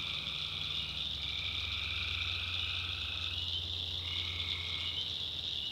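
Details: Tree frogs call after dark in a North Carolina backwoods swamp. A dense high chorus carries overlapping lower trills, each lasting about two seconds and starting and stopping at different times, over a steady low hum.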